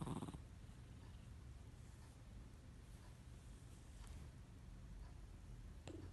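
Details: Mill, a pet cat, snoring while asleep, a low steady rumbling drone with a short brighter noise at the start.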